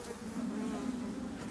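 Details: Honey bees from a drone-laying colony, where laying workers have taken over, as a beekeeper opens the hive. They give a steady, even buzz that holds a low, warm pitch throughout.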